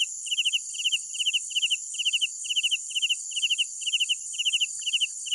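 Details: Cricket chirps after dark: bright pulsed bursts of three to four notes, repeating a little under twice per second, with a constant thin, high insect chorus behind them.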